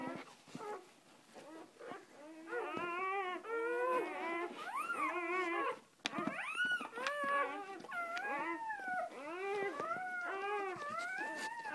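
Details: Mother dog just after giving birth, with her first three newborn puppies out; high, wavering whimpers and whines rising and falling in quick repeated bursts, with a person's voice briefly and music around.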